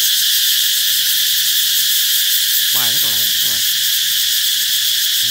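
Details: Cicadas ring out as summer nears, their continuous piercing buzz never letting up. Midway through, a brief burst of wavering, warbling lower calls cuts in for about a second.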